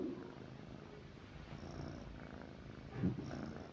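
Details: Pet cat lying beside its owner at night, giving a soft, steady low rumble of purring, quiet and continuous, with a brief louder rustle near the end.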